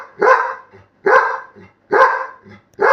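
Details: Labrador Retriever puppy barking on command, urged to wake someone; four loud, broad barks about one second apart, each followed by a soft low grunt, with a woman speaking Bengali between them.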